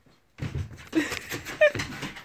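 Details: A Bull Terrier talks to its owner while playing with its blanket, in short, grumbling whines that bend upward in pitch.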